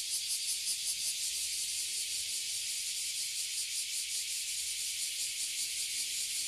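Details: In Toyohashi City, Japan, abura zemi and kuma zemi (oily and bear cicadas) crowd one tree, giving a piercing, hiss-like buzz that wavers slightly in loudness with a loose, rapid pulse.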